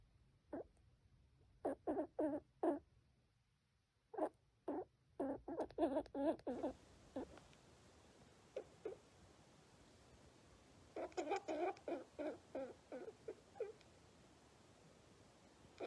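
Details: Baby squirrel with pneumonia makes abnormal, short, raspy clicking sounds in quick bursts, separated by brief pauses. The sounds are a symptom of the illness.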